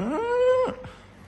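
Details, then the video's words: Siberian Husky reacting to going outside gives a single drawn-out tonal howl that rises quickly, then holds a steady pitch for about half a second before breaking off, in a quiet indoor room. "Husky reacts go outside"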